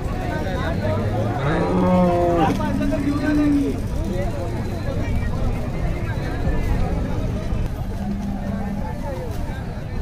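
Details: Holstein Friesian cattle at a cow market in Sangola, Maharashtra: one low, drawn-out moo with rich harmonics around the second to fourth second, then a fainter low tone near the end, over constant crowd chatter and engine hum.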